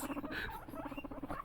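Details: Pet guinea pig mother Luna with her sons, Luna trying to get at celery; a fast train of short low pulsed notes, about eight to ten per second, runs steadily through the moment with a few higher squeaky notes.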